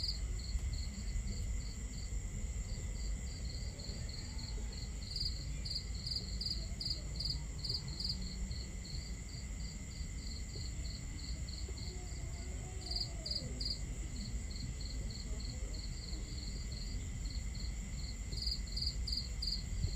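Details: Night crickets at a starry-sky camp, trilling in quick pulsed bursts that swell and fade over a constant high whine, while a fire crackles and water rushes in a heavy low wash.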